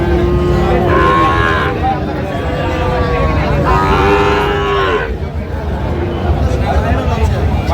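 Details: Sahiwal calves at a cattle market in Chattogram, Bangladesh, during bargaining; two long lowing moos, each about a second, separated by a pause, with loud crowd murmur throughout.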